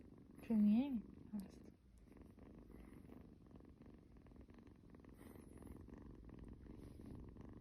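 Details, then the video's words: Kitten held in a cuddle, purring in a snore-like way: a loud human voice speaks briefly at the start, then a soft, steady low purr runs on quietly for the rest. "cuddles his snoring kitty kitten"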